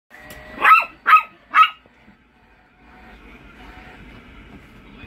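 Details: Toy Fox Terrier barking while reacting to a remote-control car: three sharp, bright barks in quick succession within about a second, then quiet with a faint steady motor-like hum.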